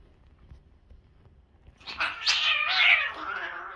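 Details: Domestic cats, a father and a mother cat that live together raising kittens, fighting. Quiet at first, then loud, drawn-out harmonic yowling and wailing that wavers and slowly falls in pitch for the last two seconds.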